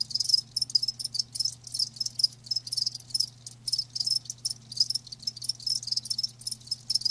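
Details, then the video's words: Rapid high-pitched cricket chirps come in short rhythmic pulses, several per second, with a continuous low hum in the background. "Live Crickets 60min "Natural Sound""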